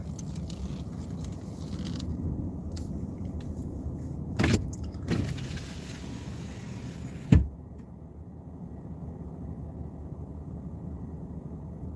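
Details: Low car interior rumble with a few clicks and thumps, like a power window and keys, and no animal sounds.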